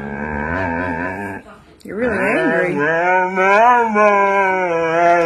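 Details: Siberian Husky named Moon, indoors and described as angry while a man talks to it, giving long drawn-out howling vocalisations that waver up and down in pitch, like talking back, with rich overtones and brief human speech.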